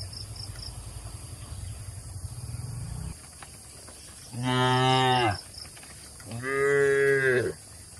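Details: Domestic cattle kept in a shed in the countryside. A low pulsing hum comes first, then a pause, then two full, deep moos of about one second each, roughly two seconds apart.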